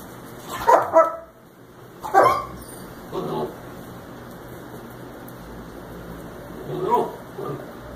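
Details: Puppies 61 days old in a litter from Sadie, filmed indoors one last time before Rocco went home; several short yappy barks and yips in uneven bursts, then a quieter bark near the end, over a low room hum.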